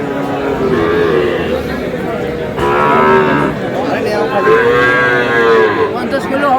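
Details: Sahiwal bull calves at a cattle market, bought by a farmer from Dhaka on 5/5/26: several drawn-out tonal bellows, the longest lasting over a second, rising then holding, over steady crowd chatter and nearby voices.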